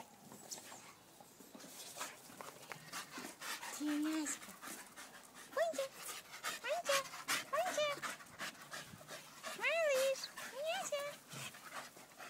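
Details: Staffordshire Bull Terriers, staffies: a run of short, high, nasal whimpers that rise and fall, some in quick pairs, over steady rapid panting and breathy snuffling.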